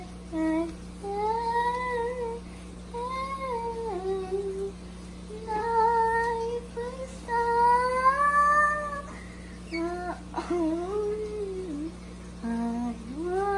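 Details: English bulldog singing indoors: drawn-out, wavering howl-like tones that rise and fall in several phrases with short pauses between, some ending in sharper yelps, over a steady low electrical hum.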